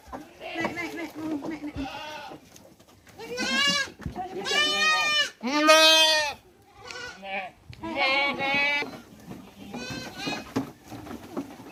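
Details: Hungry goats at a large goat breeding farm in Mumbai, India, bleating loudly: several harmonic, wavering bleats in close succession, some long and strained, others short, with a few low voices of people in the background.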